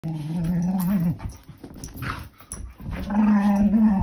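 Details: Baxter, a male Mini Norwegian Elkhound puppy, indoors while his sister Kaya spins and barrel rolls into him; he answers with long steady low growls, a rumbling first second, a pause with scuffling, then another sustained growl.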